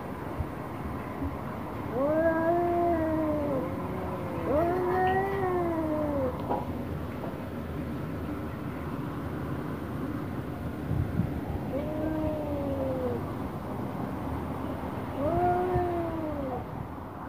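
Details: Angry confrontation between an orange domestic cat and a black one: arched, moaning yowls come in a cluster of three early on, then a long pause, then two more separated by a few seconds, over faint steady background noise.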